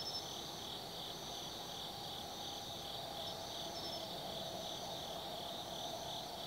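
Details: Night chorus of autumn insects at Tsukimi no Mori in Nanno-cho, Kaizu, Gifu, Japan: continuous pulsing high trills overlapping, a thin whistled note recurring every couple of seconds, and a soft low background rumble.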